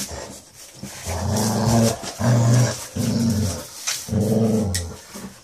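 A Basset Hound gives low, rumbling growls in repeated bursts of about a second each.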